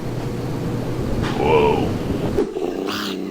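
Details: Domestic cat giving a weird, broken-sounding meow: a short wavering tonal cry rising then falling over about half a second, with a person exclaiming "woah" and talking around it.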